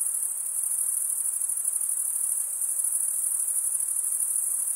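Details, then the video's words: Crickets chirping by stridulation, wing rubbed against the toothed vein of the other wing: a dense, very high, shrill continuous trill with a fast pulsing texture, steady in loudness throughout, with no other sounds. "Most relaxing cricket sound"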